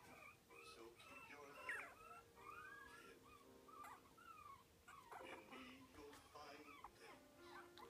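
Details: Biewer terrier pup, four weeks old, enjoying his first taste of meat. High, whiny squeaks slide up and down in short bursts, with smacking chewing sounds between them and a faint steady hum behind.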